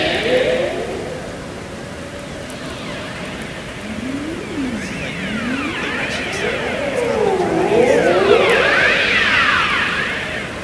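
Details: Ross seal. Haunting Ross seal calls glide up and down like slow sirens, each sweep rising and falling in pitch with bright overtones. The swoops overlap and repeat over a steady underwater hiss.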